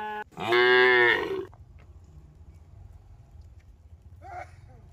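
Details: Tame cattle walking a mining road toward a green village; one full, deep moo lasting about a second, then low rumbling quiet and a faint distant call near the end.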